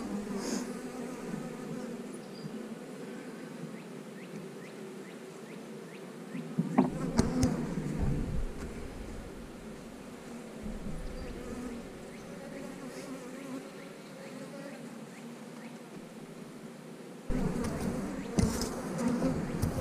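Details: Honey bees at an 8-frame colony make a steady, low droning hum that carries through the whole stretch. The hum swells briefly with some rustling and handling noise partway through and again near the end.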